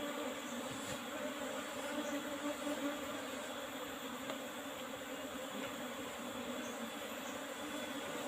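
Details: Steady colony drone of Apis cerana, the Asian honey bee, during a honey harvest from an old wooden hive box with a used asbestos lid; an even, unbroken hum with faint scattered clicks, no voices.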